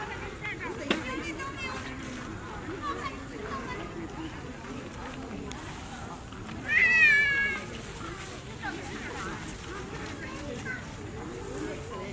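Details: Baby monkey Berry, very tiny, crying loudly for its mother Beaker after she moved away: one high, wavering, tonal cry lasting under a second, set among steady outdoor murmur and background voices.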